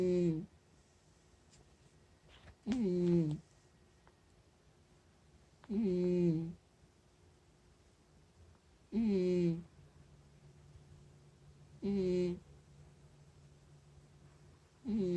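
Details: Sleeping cat snoring indoors: humming, tonal snores with a slightly falling pitch, each under a second long, come roughly every three seconds in a steady rhythm over a quiet room.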